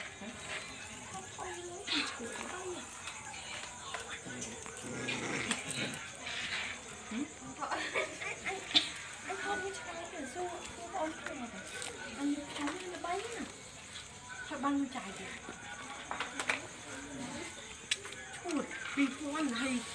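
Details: Puppies quarrelling and playing at night, giving short high whimpers and squeaky rising-falling whines scattered through the stretch, with a steady high electrical hiss behind them.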